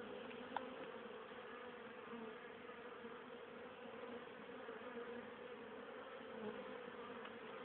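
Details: Honey bees at a hive on 10 October, still very active late in the year, bringing home pollen and nectar for winter stores; a dense, steady hum of many wings with a droning tone throughout and a brief click near the start.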